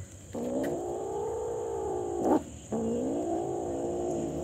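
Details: Super hungry kitten giving two long, sustained meows with gently rising and falling pitch, separated by a brief sharp noise and a short pause, over a faint steady high hiss.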